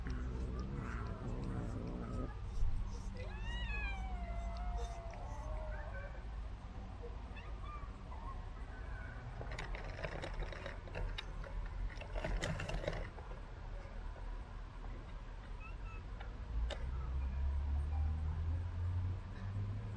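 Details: Cat being fed treats delivered by a remote-controlled car; several falling, wavering meows around three to six seconds, then quieter stretches with low hum, clatter and a burst of noise near twelve seconds.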